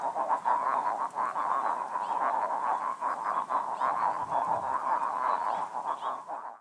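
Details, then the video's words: Chilean frogs (Calyptocephalella gayi) calling loudly in a chorus at one of the many lagoons in Lebu, Chile. Dense, overlapping croaking pulses form a continuous mid-pitched throbbing din, with rapid beats repeating throughout. "El canto de la Rana Chilena"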